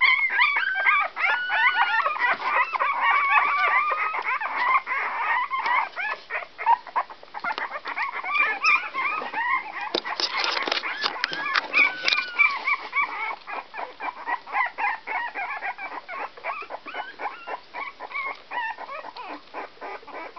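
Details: Whoodle puppies, a Whippet and Miniature Poodle cross, 16 days old, make a dense stream of high squeaks and whining cries, several voices overlapping, with brief rising and falling whines and quick chirping squeals repeated rapidly throughout.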